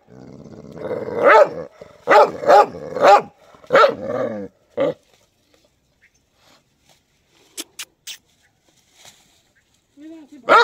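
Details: White dog barking in a rapid series of about six sharp barks, then falling quiet; faint clicks and a short tonal sound follow before one last bark near the end.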